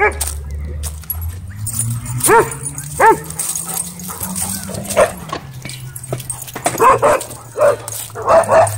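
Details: Dogs at a dog park during a wild chase, a couple of sharp barks early on, then a quick burst of higher yipping barks, with people talking and a low hum throughout.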